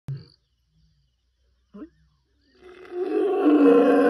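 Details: A male lion of the N'waswishaka males roars in darkness while moving steadily on a territorial patrol: brief quiet grunts, then a rough, harmonic-rich bellow rising steadily in loudness.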